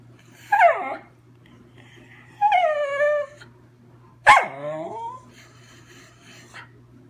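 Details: Schnauzer named Riley singing in three quick whimpering howls, each one dipping and sliding in pitch with bright harmonics, spaced roughly two seconds apart against a faint constant hum.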